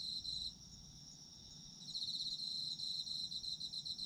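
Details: Autumn insects trilling, a brief pulsed burst at the start, then only the steady high ringing tone before a rapid rhythmic trill resumes for the final two seconds.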